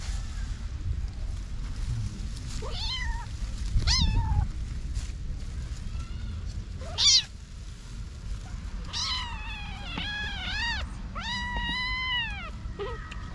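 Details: Several kittens aged about 6-8 weeks, their mother missing for a week, in a family home garden; a run of rising and arching meows, clustered toward the end, over low background rumble.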